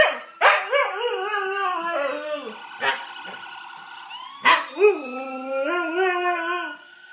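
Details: Tifa the dog howls in long wavering, slightly falling tones broken by sharp barks and yips, the howls rising and sliding between notes with strong overtones.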